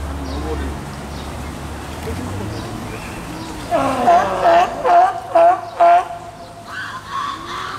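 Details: California sea lions at Tennoji Zoo, Osaka, Japan, on 5 July 2014 during nursing of a pup born 20 June, about two weeks old. Five short, harmonic, bleating calls follow one another quickly over a low murmur of visitors.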